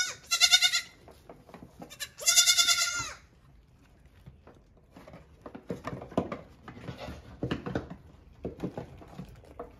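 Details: Hungry goat kids bleating while their milked mother stands on the milking stand eating grain and alfalfa pellets; two loud, quavering bleats about a second long, then rustling, chewing and clatter.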